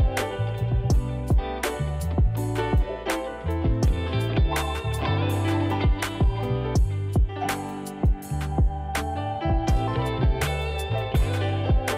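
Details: Plucked guitar music with a strong bass line and regular strummed beats throughout; no animal sound is audible.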